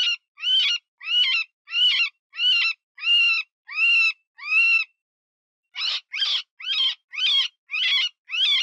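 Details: Wounded cottontail distress cries, as used to decoy foxes and other predators: seven strained, wavering squeals at steady intervals, a pause of about a second, then seven shorter and quicker squeals.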